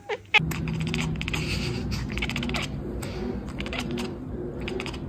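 A Bengal cat gives a brief chirp, then a run of rapid, clicky chattering over a steady low hum.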